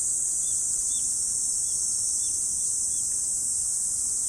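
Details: Insects on an autumn morning make an unbroken high, sizzling drone; a bird gives about six soft, short chirps underneath.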